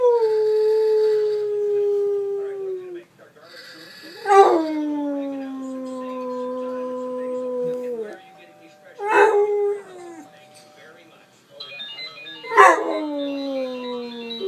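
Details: Domestic dog howling in response to iPhone ringtones, giving four long drawn-out howls separated by short pauses, each starting high and sliding slowly downward; ringtone chimes sound between the howls.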